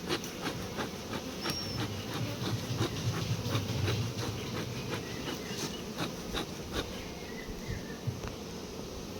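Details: Honey bees at a beekeeping site during litchi honey collection: a dense, steady low buzz of many bees, with faint clicks and brief higher ticks scattered throughout.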